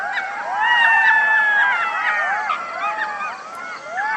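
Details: Golden jackal (Canis aureus), chorus howl.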